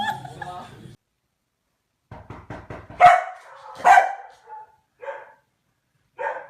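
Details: A dog described as very cautious gives a few loud, sharp barks, with a quick run of soft yips before them, over background speech, laughter and music.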